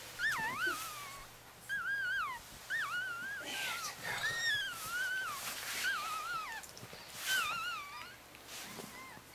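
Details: Newborn Chihuahua litter, pups aged four days, with their mother Bess, Virginia: a steady run of wavering, whistled whimpers, each dipping and rising, repeated roughly forty times a minute, over a soft background hiss.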